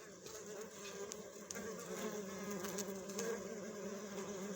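A steady, low droning hum of many honey bees, a dense swarm-like buzz that wavers slightly in pitch throughout.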